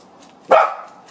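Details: A single loud, sharp bark from a dachshund that has found a ringtail possum, with a short fading tail and quiet background.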